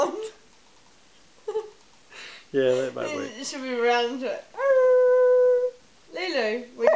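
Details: A female dog sings along with her owner in drawn-out, wavering howls, with one long steady note, mixed with the owner's voice.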